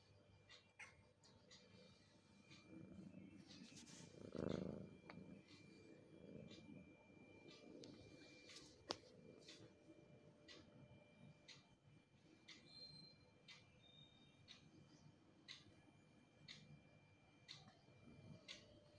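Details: Mother cat, tired of caring for her kitten, purring with a steady low rumble, louder around the fifth second, while sharp regular ticking clicks sound in the background.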